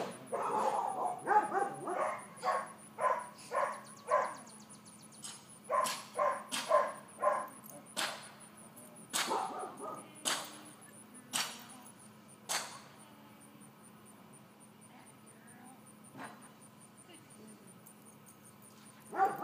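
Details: Four-month-old female miniature dachshund Georgia, overexcited while learning calm behaviour, yaps repeatedly in uneven bursts for about thirteen seconds before falling quiet, leaving sharp clacks, a low hum and a faint pulsing high tone.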